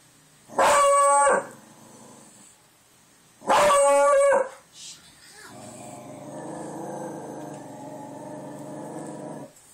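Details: Two loud clipped howls about three seconds apart from Buster, a dog howling at the door over wind noise outside, followed by a long, lower droning sound.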